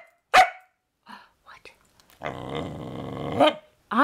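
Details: Female corgi asked to roll over for a treat answers with a 'talking' vocalization her owner hears as 'I love you': a sustained, grumbling, harmonic moan of over a second, preceded by a sharp short sound and the owner's coaxing voice.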